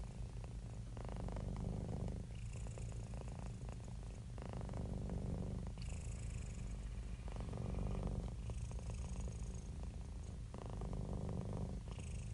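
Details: Relaxed, happy domestic cat giving a long unbroken purr: low, throbbing motor-like rumble rising and falling in cycles of about two seconds as it breathes in and out, soft hiss at the changes.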